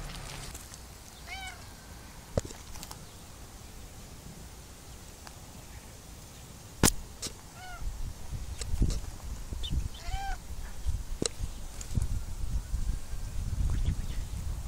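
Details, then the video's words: Cats living in an olive garden in summer, one giving short arched meows, three brief calls around the middle, over faint rustling, low outdoor rumble and scattered clicks and knocks. "Feline extravaganza, lots of cats live in olive garden"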